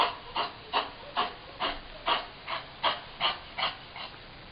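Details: Rescued shelter foster dog Mickey, a Chihuahua x Miniature Pinscher cross with kennel cough, 2010. Rapid run of dry, rasping hacks, roughly two per second, fairly even, with no other sounds.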